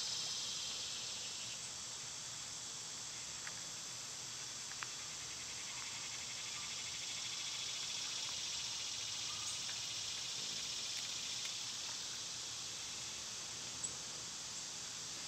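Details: Summer cicada chorus outdoors where birds and squirrels feed: a sustained, rapidly pulsing buzz that rises and fades gently over fifteen seconds, layered on steady shrill insect tones, with scattered faint clicks and chirps.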